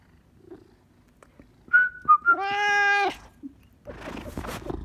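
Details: A Maine Coon cat called Sir Lancelot reacts to whistling: brief whistled notes followed by one sustained complaining meow lasting about a second, then rustling noise.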